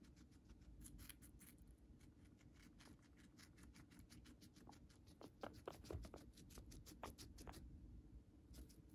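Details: Pet guinea pig Moru-chan munching Chinese cabbage stalk and leaves indoors; crisp clicking bites repeat quickly in bursts, pausing briefly near the end, with a low background hum.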